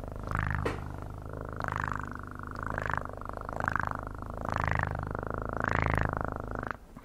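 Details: Cat purring steadily and close, a deep vibrating rumble that rises and falls with each breath, swelling roughly every second and a half across the whole stretch, ending with a brief quiet gap.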